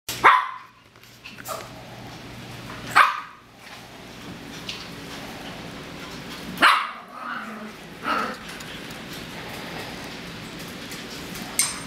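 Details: Yorkshire terrier puppies playing with an old Australian cattle dog at home; three sharp, loud barks burst out about three seconds apart, with softer scuffling and rustling of play between them.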